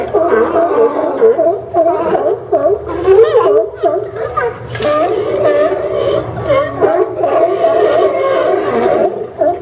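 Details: A crowd of sea lions at the Port of Newport docks, Oregon, in September 2015 makes a tangled, gargling mass of barks and groans, with no single rhythm standing out.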